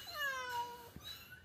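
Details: Persian cat mother with kittens in Kerala giving a single drawn-out meow that slides gently downward for under a second, then a soft tap and a faint second mew in a quiet room.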